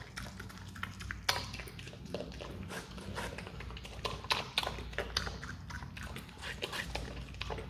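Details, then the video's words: Adopted Himalayan marmot chewing watermelon indoors, giving a dense stream of sharp crunching bites and soft smacking, uneven in timing, with a faint low hum underneath. "awesome sound when marmot eats watermelon"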